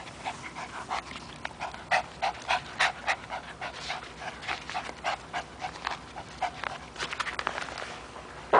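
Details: Three-year-old Chihuahua terrier at play with a rope, panting in rapid breathy huffs, roughly two to three per second, steady through most of the stretch with a sharp louder sound at the very end.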